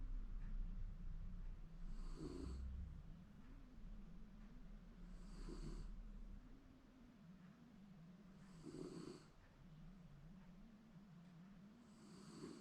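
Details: Shiba Inu napping comfortably indoors at home, possibly dreaming: low, rough snores swell in slow breaths, a louder raspy burst roughly every three seconds over a steady droning hum.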